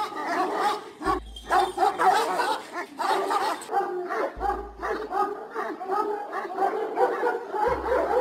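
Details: Several Kangal guard dogs of nomads' flocks in Turkey barking together, a steady run of overlapping loud woofs for eight seconds, briefly interrupted by low thuds.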